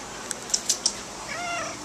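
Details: Domestic cat being bathed, with its fleas being washed out: a few sharp clicks and taps come first, then one drawn-out, tonal, harmonic meow rises and holds near the end, indoors in a small room.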